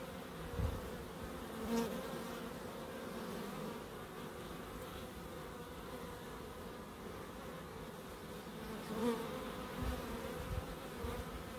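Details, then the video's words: Relaxing garden bee sounds from a small wildlife garden in Crookes: a sustained low hum with banded tones, brief louder flybys near two and nine seconds, and a few soft knocks. "1hr of Relaxing Bees"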